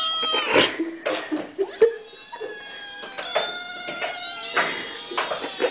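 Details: Hungry kitten calling noisily for food, a quick series of loud, strained meows with rich harmonics, several long wailing cries holding steady pitch, brief thumps between them.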